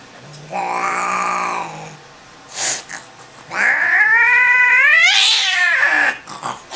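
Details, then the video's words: Angry domestic cat freaking out during a vet visit on the examination table, giving long harmonic yowls that rise and bend, with a short hiss between, and a person's voice faintly in the room. "Angry cat at vets"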